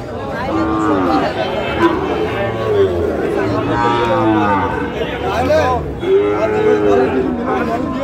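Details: Sahiwal bull calf at a cattle sale in Rangpur, Bangladesh, on 5 December, as a farmer buys calves: several low, drawn-out moos, each a second or so long, under steady crowd chatter and bargaining voices.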